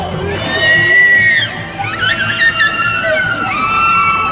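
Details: Killer whales at a SeaWorld San Diego show give drawn-out whistled tones, made through the blowhole, that hold and then swoop down over a murmuring crowd.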